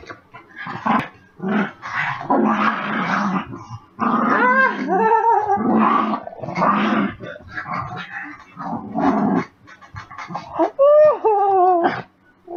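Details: Pet puppy dog after dinner growls and grumbles in rough bursts, broken by short rising whines and yelps, with the owner speaking over and between the sounds indoors.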